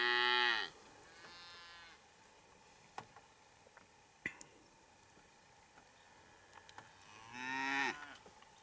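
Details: Hereford cattle in breeding season, as a big bull courts and mates cows: a loud, hoarse moo opens, a softer one follows, then a long quiet stretch with scattered knocks before another strong bellowing moo near the end.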